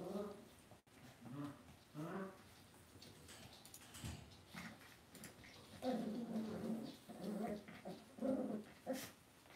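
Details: Cavalier King Charles Spaniel puppies in an indoor home puppy pen, producing soft harmonic whimpers in short bouts, quieter early and denser toward the end, over low background hum.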